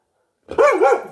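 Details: Pet dog gives a single short, two-part bark that rises and falls in pitch, loud and close, after a brief silence; the bark spooks another dog in the household.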